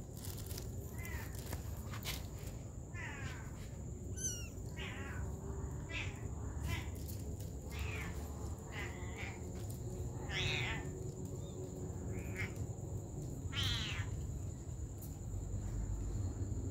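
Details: Mother cat taking care of her baby kittens; about six high, arching meows with rich overtones, spaced unevenly over seventeen seconds, some rising then falling, over a constant low rumble and a thin steady high whine.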